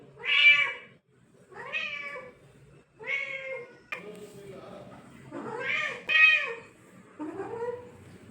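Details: A cat gives six drawn-out meows, each bright and harmonic, bending up then down, separated by brief pauses, in a quiet indoor setting.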